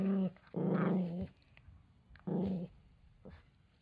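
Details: Deep, rumbling growls from a male Toy Poodle angered at losing his towel: two low, harmonically rich snarls about a second and half a second long, with a short rumble before and a faint one after.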